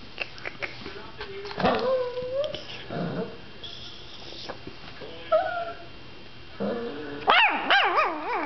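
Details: Pet dog whining in rising and falling wavering tones, with a few short yaps and a burst of high, quivering whimpers near the end; a person's voice is faintly heard between the sounds.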